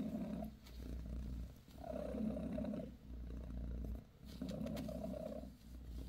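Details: Bassy, a mother cat of the British shorthair breed, gives her kittens a massage while purring. Steady rhythmic rumble in three bursts with short gaps about every two seconds, soft hum underneath.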